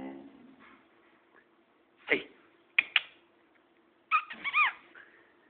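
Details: Boxer dog barking at its owner indoors: a quiet stretch, then sharp short yelps in quick succession, ending in a higher whining bark that bends up and down.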